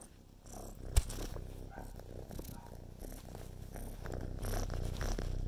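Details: Carolina, a kitten, purrs while helping film her brother kitten; continuous deep, evenly pulsing purr growing louder toward the end, one sharp knock near the first second and light rustling throughout.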